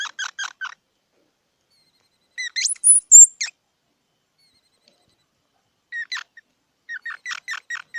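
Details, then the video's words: Rapid, clipped squeaky chatter from a squirrel, opening with a fast four-note run. A few high, thin whistled sweeps follow mid-clip, then two later trains of short bright notes on a clean, silent background. "សំលេងដង្ហែន Squirrel 🐿️ Sound"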